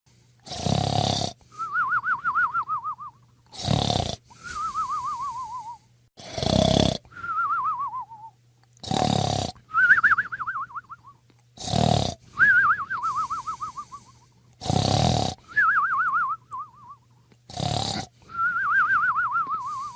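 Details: Sleeping dog snoring: each loud, rasping inhale is followed by a wavering whistled exhale that slides downward. The cycle repeats about every two and a half seconds, seven times, over a faint steady hum.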